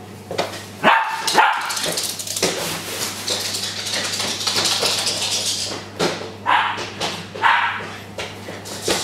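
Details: Excited pet Japanese Spitz, Drifter, welcoming an owner home indoors with sharp barks in quick pairs and later single yips, over hissy background noise and occasional voices.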